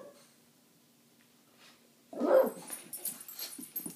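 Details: Female French bulldog playing with two other French bulldogs indoors, guarding her spot and claiming territory; quiet room, then a sudden short, rough bark around mid-clip followed by softer scuffling and snuffling sounds.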